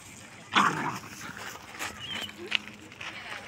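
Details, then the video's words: Angry dog barking to tell other dogs to go away: one loud, harsh bark bursts out near the start, followed by quieter scuffles, a brief thin whistled tone and background voices. "Angry Dog Barking Other Dogs Go Away!"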